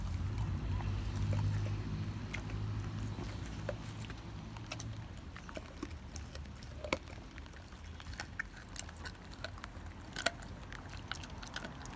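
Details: Quiet indoor scene with soft tapping, clicks and low rumble, sporadic sharp knocks and handling sounds, no clear animal voice.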